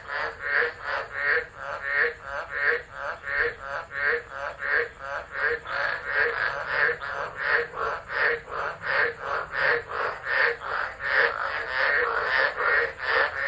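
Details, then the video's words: Driver, Northern Territory, Australia, December 2013: a frog chorus during a tropical low, picked up by an unattended phone. Loud pulsed rasps follow one another in a fast, steady rhythm, with many callers overlapping. "Tropical Storm Frogs Singing"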